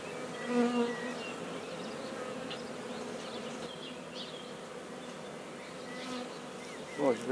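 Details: Newly established colony of black bees at Guernay in Côtes-du-Nord humming continuously inside the hive. The drone stays even throughout, with scattered distant birdsong and a short knock at the end.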